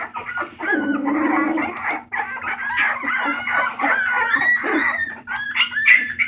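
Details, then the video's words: Bulldog puppies at a rescue awaiting new homes, March 28, 2014, producing a continuous tangle of whines and squeaks, one low drawn-out moan early on, then higher wavering cries and a sharp squeak near the end. "Puppies making noise"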